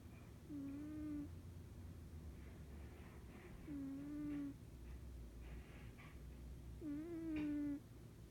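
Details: A sleeping cat snores in a quiet room: drawn-out, level, whining tones, each about half a second long, come roughly every three seconds with soft breathy noise between them.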